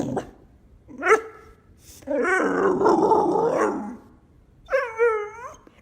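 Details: Pet dog 'talking' back and arguing with its humans: drawn-out, growly, moaning vocal phrases with wavering pitch, a short yelp near the start and a final rising whine, in a quiet room.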